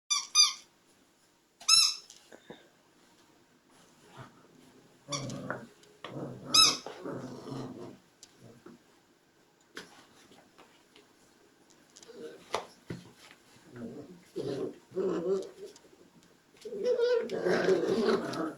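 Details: Puppies giving a few high, sharp squealing whimpers near the start and again midway, mixed with lower muffled rustling and shuffling, then a burst of soft, scratchy noise at the end.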